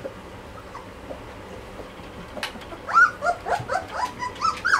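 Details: Malinois puppies, 2.5 weeks old, from a litter; after about three seconds of quiet room noise, a run of short, high whimpers and squeaks begins, rising and falling in quick succession until the end.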